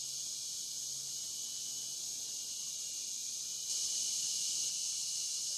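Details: Cicada chorus from a night on the Licking River in Morning View, dusk to dawn: a continuous high buzzing wash that suddenly grows louder near the end, over a faint low tone.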